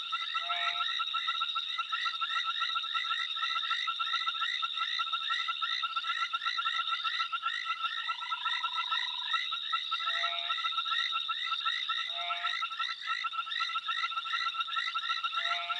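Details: An amphibian calls into the night, rapid repeated chirps and steady trills layered together.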